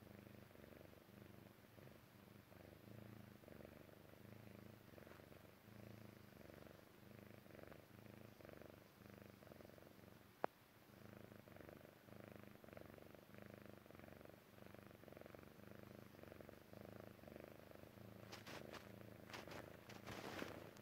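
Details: Sleepy Persian Chinchilla kitten Jessie purring contentedly before dozing off; deep pulsed rumble rising and falling with each breath, one sharp click midway and brief rustling near the end.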